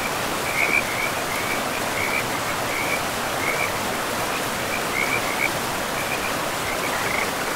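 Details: In a pristine forest with moss-covered ground, frogs along a river repeat short, high trilling croaks roughly every half second to second throughout, over a dense, even roar of running water.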